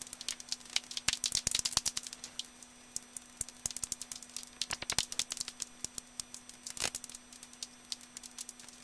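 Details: Common noctule calls in the Hofholz woods on 22 November 2012 at 18:30, under a clear sky at about 7 °C, come through as dry, crackling clicks in irregular rattling bursts.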